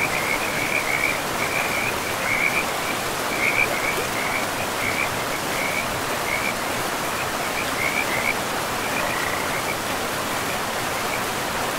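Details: Frogs calling beside a river in a pristine, moss-covered forest: a chorus of short, high, trilling pulses repeated steadily through the whole stretch, set over a constant broad rush of flowing water.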